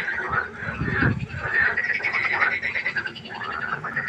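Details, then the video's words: Frogs croaking at night by a pond: a dense chorus of pulsed, rattling croaks overlapping continuously, with a few deeper thumping sounds near the one-second mark. "1 Stunde Froschkonzert. Frosch Geräusche quaken. Frösche Geräusche Konzert"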